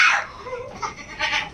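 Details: Domestic goat giving two short, harsh, breathy bleats: a noisy burst at the start, then a rougher second one about a second later, with no other clear sounds.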